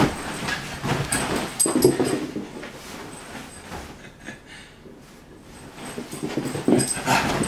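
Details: Whippet puppy being stirred up in play, giving short soft whimpering and growly vocal bursts amid rapid scuffling, tapping and rustling noises, with a quieter pause midway before the busy scrabbling resumes.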